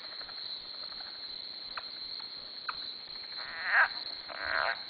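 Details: Frogs around a farm dock at 2am; scattered short clicks, then two louder buzzy, rasping calls near the end stand out over a steady high-pitched night chorus.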